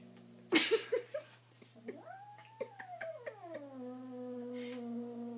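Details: Apollo, a kitten three days in his new home, sees his reflection in a mirror for the first time and treats it as another cat to attack; one long harmonic yowl rises, holds, then slides lower, with scattered taps and a laugh.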